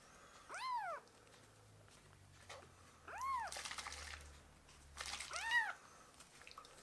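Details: Rescued baby kittens fostered indoors mewing as they beg for milk: three arched, rising-then-falling meows spaced about two seconds apart, with faint handling noise and rustling between calls.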